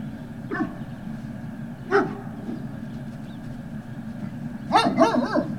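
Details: At Puppy Hill on 18 November 2018, Great Dane puppies let out scattered single yaps, then a quick cluster of higher, overlapping barks near the end, against a continuous low rumble.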